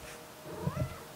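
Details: Domestic cat indoors giving a single faint, short meow that rises then falls, low against a quiet room hum, with soft human talk around it.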